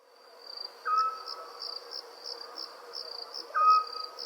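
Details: Crickets at night as a steady, high, pulsed trill throughout, with a short whistled note heard twice about 2.7 seconds apart.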